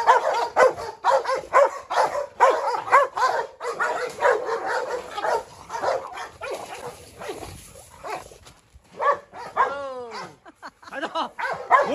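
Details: A Presa Canario female with brindle coat seeks out a Rottweiler for revenge, a Staffordshire joining in; steady harsh barking about twice a second, broken near the end by a short descending whine before the barking resumes.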